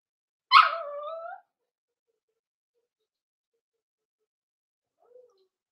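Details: Cavalier King Charles Spaniel puppy, four weeks old, in an indoor pen during socializing and puppy-mash feeding: one short whimper that starts sharply and slides lower, followed by near silence and a tiny faint squeak.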